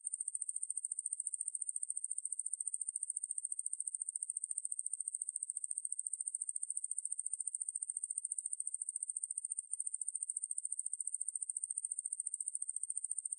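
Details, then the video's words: Ruspolia lineosa katydid (2020, National Institute of Biological Resources) singing a long, sustained shrill buzz of rapid regular pulses, broken only by one tiny gap midway, against a silent background. "왕매부리, 여러번 듣기, 곤충소리"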